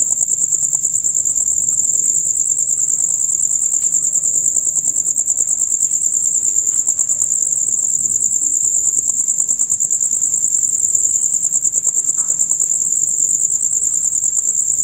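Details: Male crickets in a loud nighttime chorus, heard from dusk until dawn: a dense, continuous high-pitched trill of rapid pulses, steady throughout with no other clear sounds.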